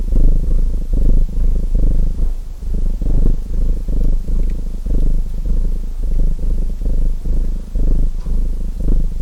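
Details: Low, buzzing rumble of a purring domestic cat, rhythmic breaths of sound repeating about every second, paired with soft intermittent crackles from a chimney fire.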